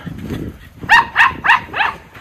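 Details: Two Miniature Schnauzer brothers, Lucky and Levi, playing in snow on a roughly 30-degree January day in Aroostook County, Maine: four bright, ringing barks in quick succession after a murmured voice.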